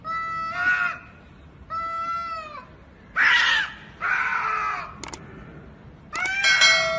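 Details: Two cats fighting, trading long wavering yowls that shift into harsh, screeching screams. Sharp brief clicks or thuds cut in near the end before a final rising, strained wail.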